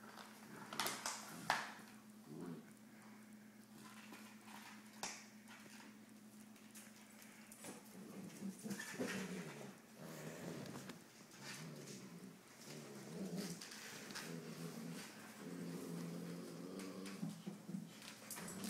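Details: Maya, a new Siberian Husky pup, plays indoors with her big brother Max. Mostly scuffling and thumps at first, then low harmonic growls and grumbles in drawn-out bursts through the second half, with a steady background hum.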